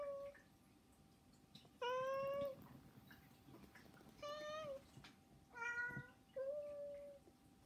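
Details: Insistent begging from pet cats Saba, Hana and Mizore, which wake their keeper daily; four short, clear meows, some slightly rising, at irregular intervals of about one to two seconds in a quiet room.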